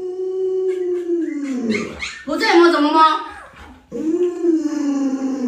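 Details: Luoluo, a pet Alaskan Malamute, reacting indoors as its owner pretends to stew a puppy: a long, drawn-out, falling howl, then a higher wavering yowl and a second sliding moan, rich in overtones, in a small room.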